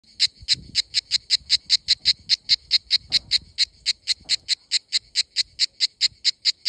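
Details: Cicada singing in summer in Greece: a loud, hissing, buzzy pulse repeated steadily, roughly four to five pulses a second, high-pitched and sharp, with faint low rumbles of background noise underneath.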